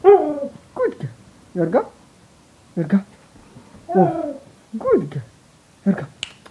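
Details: Siberian Husky Yorga at a morning welcome in bed: a rapid series of short grumbling, yodel-like calls bending up and down, roughly one per second, with a person talking and snapping fingers.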